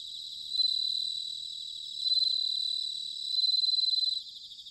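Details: High ringing trills from a bell cricket recorded in autumn at Sanuki, Chiba, Japan: three swelling, sustained bursts about a second apart, each fading back into a quieter, pulsing background of insect song.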